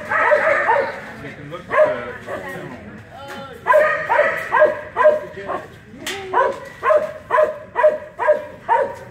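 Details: Keeshond running the 2018 Keeshond Club of America National Specialty agility trial, giving bursts of short, sharp barks, rhythmic and quickening in the second half, amid crowd chatter.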